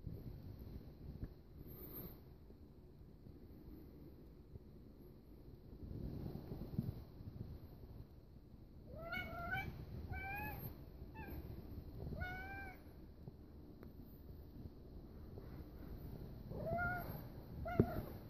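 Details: A tuxedo kitten faces a big cat. Quiet, bent, harmonic meows repeat in a short run mid-way, then two more near the end, over a low rumbling background.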